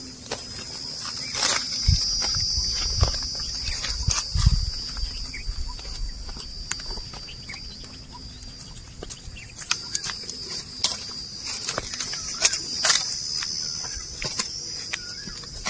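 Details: Cows and bulls walking and eating grass, heard as scattered sharp tearing bites and dull low thuds from hooves and chewing, irregular throughout, under a steady high insect drone.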